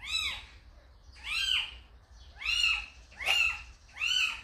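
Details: High, strained kitten meows, five in a row, each bending up and down with bright overtones; the kitten was brought to the house by its calico mother cat.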